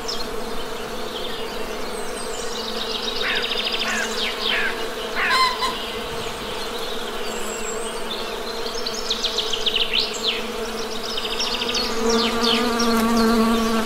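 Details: Honey bees hum with a low, steady drone. Birds chirp and trill overhead, and toward the end a drawn-out, honk-like tonal call rises above the buzz.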